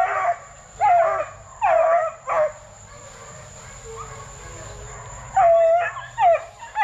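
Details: Plott Tan pups, a Plott hound crossed with a black and tan coonhound, 8 weeks to 5 months old and raised at a kennel to track deer, bawl in six drawn-out yelps that drop in pitch, separated by quiet pauses.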